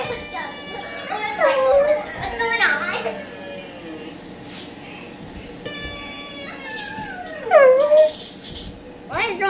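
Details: Siberian Husky howling along to a recording of himself indoors: two long wavering howls that bend down and then level off, with speech and children's voices and music playing alongside.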